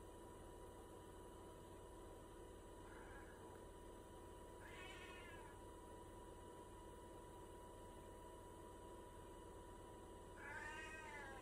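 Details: Cat asking for a snack, giving three wavering, drawn-out meows, the first faint and the last loudest, over a steady electrical hum.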